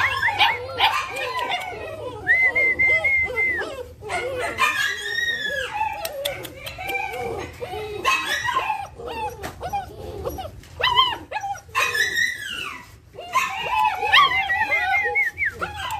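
German Shepherd puppies whine and yelp together in a busy chorus of high, rising and falling squeals.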